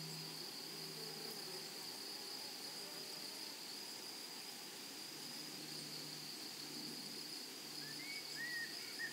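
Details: A steady, shrill drone of grasshoppers carries on across a flowery meadow, with a low hum underneath and a couple of brief bird chirps near the end.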